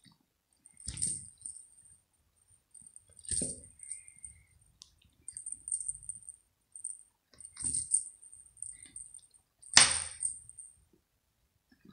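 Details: Quiet room broken by five bursts of light metallic jangling and clicks, with no cat voice.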